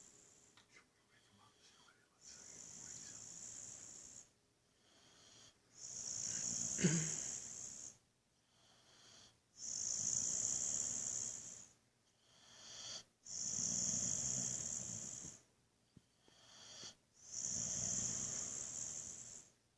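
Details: Buddy the Boxer snoring away in a sound sleep just before being woken: a regular series of rasping, whistly snores every three to four seconds with soft breaths between.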